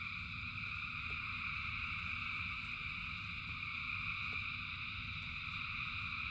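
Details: A huge frog gathering singing through a rain shower: seamless high-pitched chorus in stacked bands, heavy low patter of rain, and a few distinct clicking drops.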